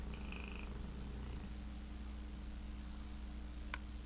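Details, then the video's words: Sleeping dog Tank dreams and snores, starting with a short high whimper, then a soft low rattling snore. A constant background hum runs throughout, with a sharp click near the end. "Tank snoring/dreaming"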